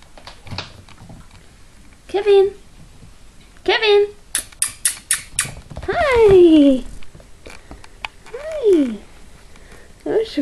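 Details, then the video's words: Papillon puppies whimper with short yelps, then long descending whines, broken by a quick series of sharp clicks and taps in a small room. "Papillon puppies"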